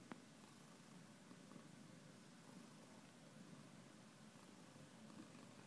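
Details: Cat purring steadily, a soft continuous low rumble that pulses evenly for the whole stretch, with a brief tap at the very beginning and light background hiss.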